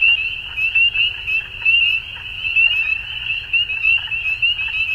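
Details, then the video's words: Frogs at dusk in full chorus: high, rapid overlapping trills forming a constant band, loudness rising and falling in uneven bursts over a low murmur. "Frogs At Dusk"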